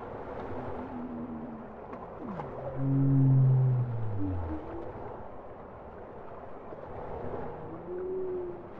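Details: Singing bowhead whale producing a loud, deep, falling moan with rich overtones, preceded and followed by softer wavering tonal notes. A steady low rumble of ocean noise runs underneath throughout.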